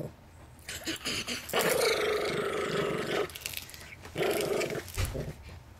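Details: Mixed Chihuahua and Miniature Pinscher pet defending his peanuts, snarling in harsh, noisy bursts, one long and one shorter, with fainter rumbles and clicks before them.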